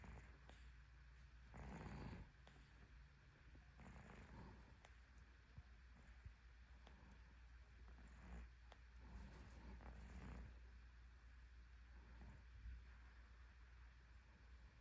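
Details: Domestic cat snoring in deep sleep: soft, breathy, noisy rasps, each lasting under a second, recurring irregularly every two to four seconds over a steady low hum.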